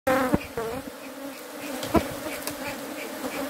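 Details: Bees buzzing with a steady low drone and clear overtones, a few brief sharp knocks and rustles near the start and around two seconds, with a faint murmur in the background.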